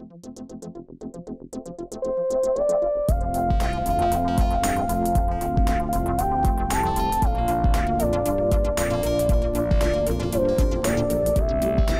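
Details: Only electronic keyboard music with a steady beat and a sustained melody is heard, with no animal sounds. Synthesizer chords and a regular bass pulse fill the whole passage.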